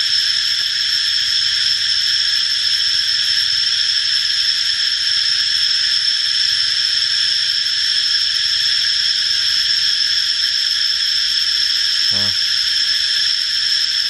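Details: A cicada gives a steady, high, hissing buzz that never pauses or changes pitch, while it sprays liquid ('rain') as it calls.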